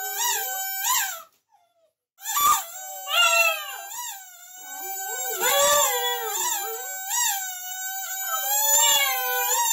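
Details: A singing dog gives wavering, whining howls that bend up and down, starting after a brief pause and continuing in connected, crying phrases.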